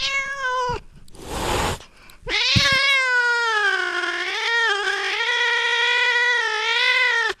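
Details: Cat sounds to chase away rats: a high, tense meow, a rough hissing burst, then a long, loud, high-pitched yowl of about five seconds that wavers and bends slightly in pitch before stopping abruptly.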